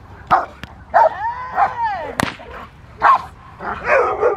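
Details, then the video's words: Rottweiler named Fire v LordsNLadies in protection training at Victoria Rottweiler Club: loud, sharp barks in quick bursts with a drawn-out whining bark in between, plus a sharp whip-like crack. "Rottweiler protection training"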